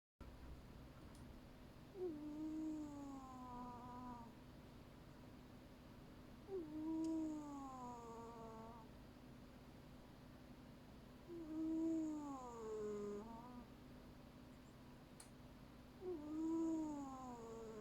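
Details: Sleeping domestic cat snoring indoors: four drawn-out, wavering snores, each rising then dipping in pitch, spaced about five seconds apart, with a soft steady background hum between breaths.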